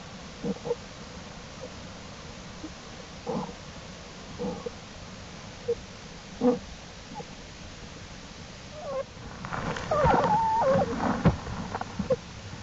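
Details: Black bear cubs out of the den with their mother, exploring on April 2, 2012: a string of brief soft squeaks, then a louder burst of warbling, wavering squeals near the end.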